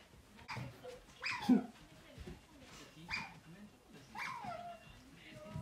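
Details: Pet otter trailing the owner's mother, calling in short bursts: four downward-sliding squeaks spread over several seconds, each dropping from a shrill start to a lower tail, amid faint rustling and footsteps.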